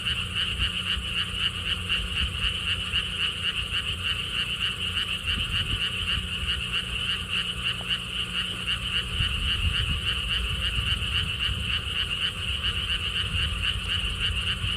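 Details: Lotus pond frogs in Siheung, Korea, near Gwangokji: a thick chorus of fast, regular pulsed croaks, roughly four per second, many individuals blending together, with a soft low-frequency rumble in the background.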